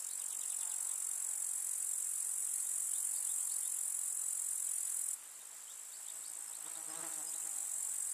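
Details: Grasshoppers chirping in a summer meadow in the countryside: a dense, steady, very high-pitched shrill hiss from many insects, dropping suddenly in loudness midway, with a faint low tonal sound near the end.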